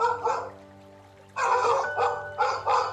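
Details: A farm dog gives a run of quick, hoarse barks in bursts, about three or four a second, over a low steady hum with faint music.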